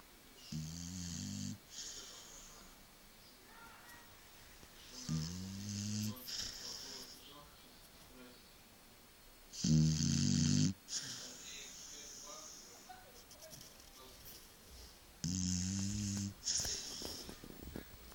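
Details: Shar Pei dog asleep indoors, snoring like a human: four low, buzzing snore bouts roughly every five seconds, each about a second long with a breathy hiss on top, quiet voices murmuring in the pauses.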